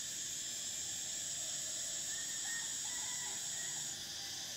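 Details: Summer cicada chorus, a continuous high-pitched hissing drone, even in loudness, that cuts off shortly before the end, with faint short chirps underneath.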